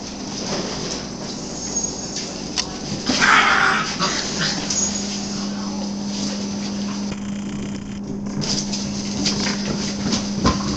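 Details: Nine-week-old puppies playing and having fun on March 1, 2011: scattered short, rough yelps and grunting play noises, one brighter burst of yipping early on, over a steady low electrical hum with faint human voice.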